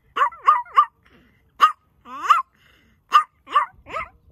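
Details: Male Chihuahua Buddy, outdoors among mountains after a long walk and urged to sing, gives bursts of short, sharp, high yips in groups of two or three, with one brief falling howl in the middle and near silence between.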